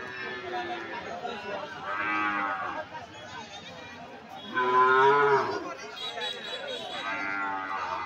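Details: Cattle at Sonapur livestock market after Eid, where many cows and goats have been brought in; three drawn-out, lowing moos at about two, five and seven and a half seconds over background music and men's voices.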